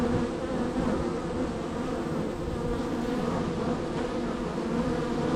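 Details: Very active honey bee hive, number three on the row, bees coming and going; an even, unbroken droning hum of many wings, with low rumbling undertones throughout.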